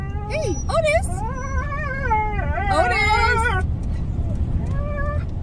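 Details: Two Siberian Huskies ride along on a car drive as one gives wavering, rising and falling howls over a steady low rumble of road noise.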